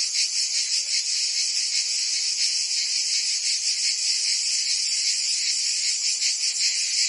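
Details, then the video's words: Cicadas singing in summer in Provence, France: a dense, continuous buzzy chorus, steady in loudness with a faint rapid pulsing, high-pitched and hissing, with no other sounds. "Cicadas singing in France (Provence)"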